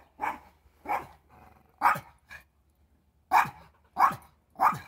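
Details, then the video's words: Male Pomeranian barking at a squirrel he treats as his nemesis: sharp, high yaps in quick bursts, seven barks in five seconds with a short pause midway, little background noise. "Pomeranian vs Squirrel"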